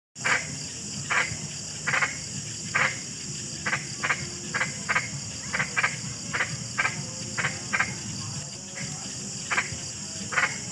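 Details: Frog croaking, described as a large, frightening animal: short broadband croaks repeated roughly every half second to second in an irregular series over a constant high insect-like hiss and low background rumble.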